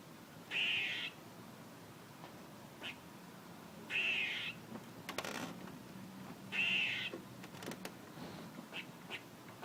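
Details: Squirrel repeating a rasping, buzzy call three times, about three seconds apart, with faint clicks and rustling in between.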